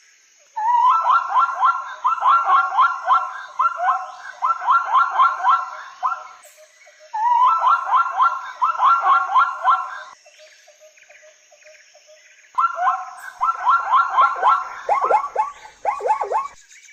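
A zebra gives rapid, yelping barks in bursts of several seconds, ending in sharper rising squeals.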